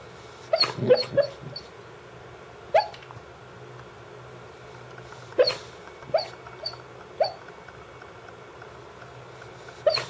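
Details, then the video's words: Sleeping Brittany Spaniel female called Dance giving muffled sleep barks, though she never barks while awake; a burst of quick soft woofs opens, then single and paired yips spaced a second or more apart over a constant low hum. "Sleep barking dog (Brittany Spaniel)"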